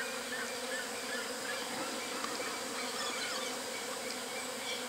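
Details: A natural colony of Western honey bees (Apis mellifera) in full activity gives a dense, steady hum of many bees buzzing together.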